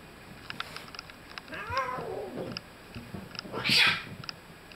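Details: Kittens, a mix of snow-white and brown, indoors near a garage with an adult female cat; a rising-falling meow with stacked harmonics around two seconds, a short higher squeak near four seconds, and a woman speaking softly.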